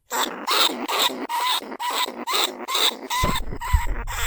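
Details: Lesser bandicoot rat in a cage trap calling other rats, recorded in paddy fields at Na Lao, Nong Khu Phai; rapid, raspy squeals with whining overtones, about two per second, with a low thump near the end.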